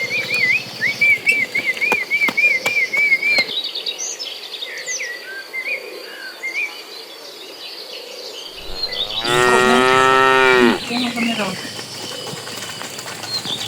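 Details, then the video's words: Dozens of cattle in a herd migrating toward green pasture: birds twitter and whistle for several seconds, then one loud, drawn-out moo of about a second and a half rings out over a steady insect hum. "Suara sapi lucu riang gembira"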